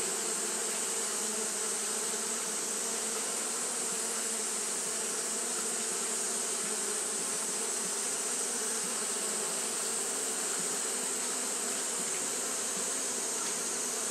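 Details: On a hot day, Japanese honey bees keep up fanning behaviour, producing a continuous, even drone of many wings, low humming layers under a bright steady hiss, with no pauses.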